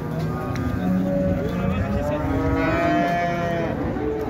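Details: Cattle at the Şarkışla livestock market, Turkey, 15 January 2022, around the sale of a pregnant cow; overlapping low, sustained lowing with layered harmonics, heard through steady crowd murmur and market noise.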